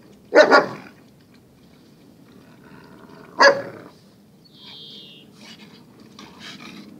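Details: Two dogs, Zion and Tyson, locked in their everyday fierce tussle; a harsh double bark opens, a low rumbling growl leads into a second single bark three seconds later, then a high squeak and soft scuffling follow.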